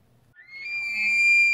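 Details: A bull tule elk with his harem of cows, outside the San Luis National Wildlife Refuge visitor center in central California during the rut on September 8, 2016, bugles to attract cows and ward off bulls: a high, pure whistle that climbs and holds.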